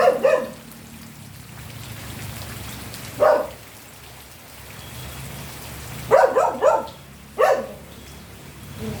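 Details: Scattered dog barks, single at first and later a quick cluster of three followed by one more, spaced by stretches of steady hiss like rain.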